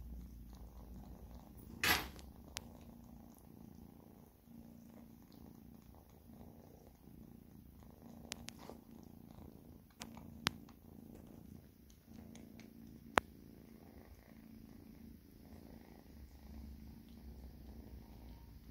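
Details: Two pet cats, Oscar and Oliver, purring while being fed indoors; a steady low rumbling purr runs throughout, broken by a few sharp clicks and taps from feeding.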